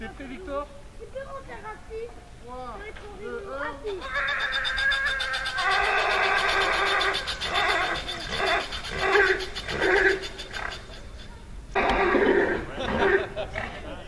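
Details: A foal, woken by the noise of a rope on a pulley, whinnies loudly in long, shaky neighs after squeaky rising tones, answering the pulley's sound, with human speech in the background.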